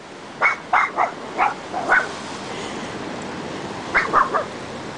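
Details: Cairn Terrier barking at ocean waves on a beach: quick sharp barks in two bursts, three or four each, with a steady wash of surf underneath.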